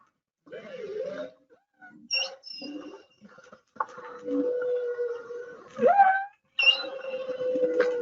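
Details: A male humpback whale sings theme one of his song, recorded by hydrophone close to a boat off Hawaii's Big Island in 2019: long wavering moaning tones, brief higher squeals, and a sharp rising swoop into a sustained low moan.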